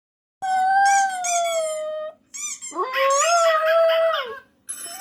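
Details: Puppy letting out two long whining howls. The first holds a steady tone, then a brief yelp follows. The second rises sharply before holding level, with rich overtones, and ends in a short squeak. The room is otherwise quiet.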